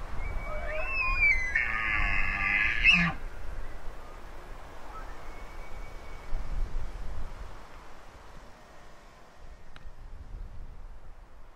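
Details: An elk bugles, a high rising whistle breaking into harsh overtones, with a fainter bugle answering from further off.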